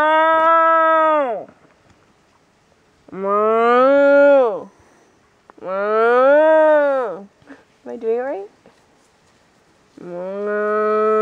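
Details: Cows being herded give four long, drawn-out moos, each bellow rising then sagging in pitch, with pauses of about two seconds between them and a short broken call in the middle.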